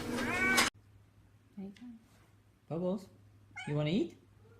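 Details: Pet cat vocalizing to its owner, who asks whether it wants food; after a short human voice, three brief meows come about a second apart, each low and sliding upward.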